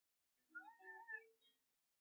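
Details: A hungry female kitten, frustrated at failing to get milk out of a bottle, gives one insistent, wavering meow, rising then falling over about a second.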